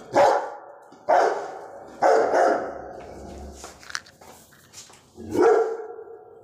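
A Rottweiler barks in deep, full-throated bursts, some single and one a quick double, with short pauses between them. After a quieter gap of a few seconds, one last heavy bark follows.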